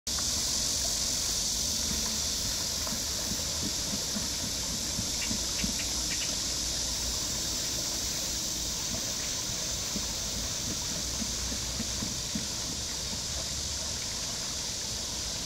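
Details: Cicadas at Namsangol Hanok Village in Seoul, Korea, on 12 August 2024: a steady, high, hissing drone runs unbroken under the constant rush and splash of water from a turning water wheel.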